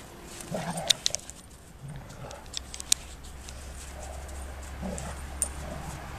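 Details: Two female Golden Retrievers, playing and then fighting, give short grumbling growls and soft whines over a steady low hum, with sharp tapping sounds in between.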